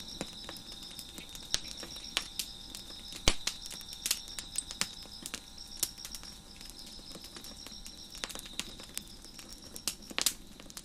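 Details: Crickets chirping in the background on a deck beside a crackling fire: a steady, thin, high continuous trill runs throughout, overlaid by frequent sharp snaps and pops from the burning wood.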